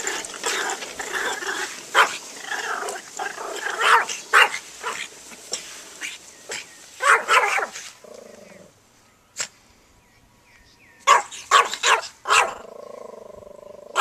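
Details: Banjo the dog barking at a lawnmower: rapid, harsh, irregular barks in bursts, with a droning engine hum between volleys and a pause before more barking.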